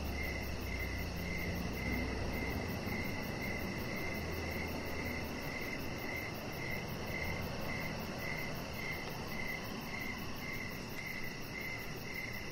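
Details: Crickets chirping in the evening beside a deck where a chihuahua puppy lies under decoration lights. A steady, mid-pitched chirp repeats almost twice a second over a low, continuous outdoor rumble and a faint electrical hum.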